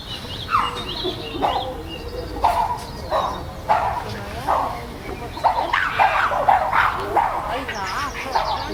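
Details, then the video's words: Chimpanzees in a group at Chester Zoo's Chimp Island, with tensions running high after a new baby's arrival, fights and displays as the alpha male tries to control the group: short sharp barking calls repeated roughly every second, rising into a busier cluster later. "The Chimps Making More Noise Than Ever!"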